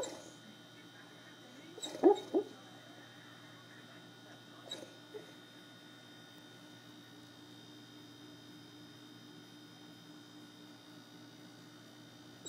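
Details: A sleeping, almost two-year-old Rhodesian Ridgeback, dreaming perhaps of squirrels, gives a couple of short, squeaky whimpers close together, then a fainter one a few seconds later, over a steady low hum in an otherwise quiet room.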